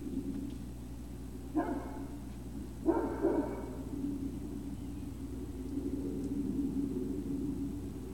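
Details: Great Dane puppies at Puppy Hill, recorded 03-05-2019 shortly after 17:06, give two short, harmonic barks about a second and a half apart, over a steady low mechanical hum and a faint murmur in the background.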